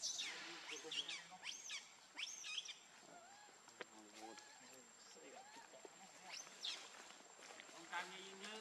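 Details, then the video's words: Hungry baby monkey named Lucie crying for milk: shrill, high squealing cries that sweep up and down, coming in bursts through the clip, with lower tonal, voice-like sounds between them. "Lucie Very Hungry Milk I Lovely Cute Baby Monkey"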